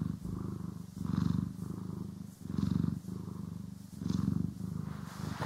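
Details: Cat purring contentedly during brushing and grooming, recorded in stereo: loud low rumbling purr, pulsing in breath cycles about every one and a half seconds.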